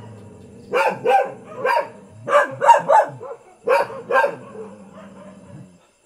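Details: A household dog in Thailand gives a quick run of about eight harsh barks, some doubled, over roughly five seconds, with a faint low drone in the background.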